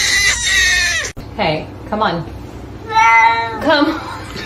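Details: Domestic cat in a funny-cats compilation giving several short harmonic meows, some rising and falling, mixed with people talking and bursts of noise.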